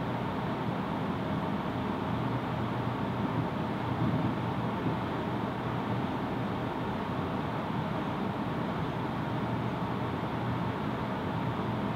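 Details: Steady low vehicle or engine rumble throughout, with broadband noise and no animal voice.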